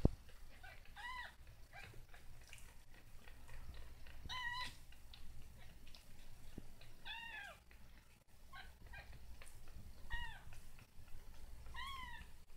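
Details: Young kitten working hard at learning to walk; five brief, evenly spaced high meows, each a short arched tone, spread across the recording with quiet room hum and light knocks between them.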